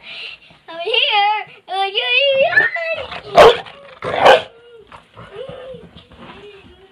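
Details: A Rottweiler being teased by its owners gives two deep, harsh barks, with a person's wavering voice and soft whines around them.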